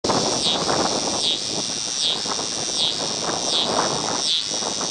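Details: A scissor-grinder cicada (Neotibicen pruinosus), singing and crawling at an I-70 rest stop near Paxico, Kansas, in August 2007, gives a loud, high, continuous buzz that pulses about once every second.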